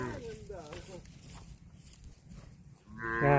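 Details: Cow mooing: a short wavering call at the start, a quiet pause with low background noise, then a loud, deep, sustained moo at the end.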